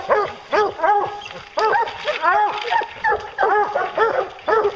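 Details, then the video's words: Hounds used for bear hunting letting out bawling barks in spaced bursts roughly every half second to second, each bark rich in harmonics, several dogs overlapping. "Bear Hunting with Hounds"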